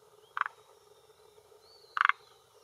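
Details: Calling male Rhacophorus arboreus at the edge of a hillside pond in Japan, late afternoon in early June 2021, inflating his throat sac to hold territory and attract females; two brief rattling croaks spaced about one and a half seconds, soft whistle between.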